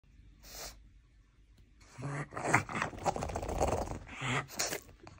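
A pug makes a run of breathy snorts, wheezes and low grunts in quick, uneven bursts.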